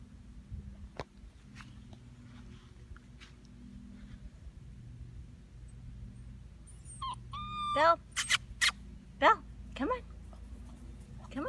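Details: Six-and-a-half-week-old European basset hound puppy, female, called Phil. A quiet stretch with low hum and faint clicks gives way to a run of sharp yelps and whimpers, some sliding downward, clustered in the final four seconds.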